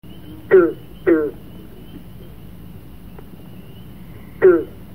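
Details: Green frog (Rana clamitans) kept in an indoor frograrium of native plants and soils during winter studies; three short, twangy, plucked notes with sharp onsets and falling tone, two close together, then one more after a three-second pause.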